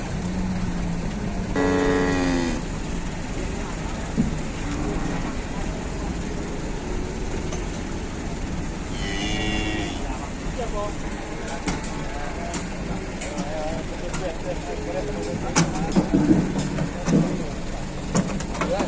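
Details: Cattle coming down from a truck: a drawn-out harmonic moo near the start, a shorter lowing call around nine seconds, then clattering knocks and footfalls over a constant rumbling engine and vehicle noise, with some human voices.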